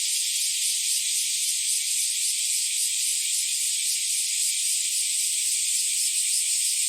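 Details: Cicada chorus of bear cicadas and Nii-nii cicadas on an early summer morning, July 2023: a dense, unbroken high buzzing hiss, steady in loudness throughout, with no low sounds and no other animals or people.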